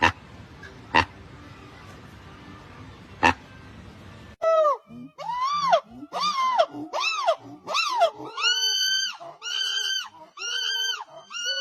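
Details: Monkey calling: after about four seconds of faint noise with a couple of sharp clicks, a run of loud, arched, wailing calls with bright overtones, repeated roughly once a second and rising higher toward the end.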